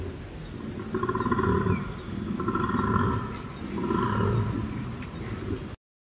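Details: Koala calling: deep, snoring, grunting bellows in three rhythmic bouts about a second and a half each, rough and throbbing, ending abruptly.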